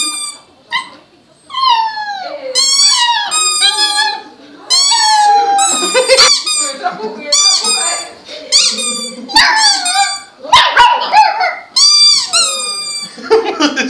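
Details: A young puppy 'sings like a toy' in a small room, giving a long run of high, squeaky, wavering howls that dip and slide in pitch, with a person's voice talking and laughing alongside.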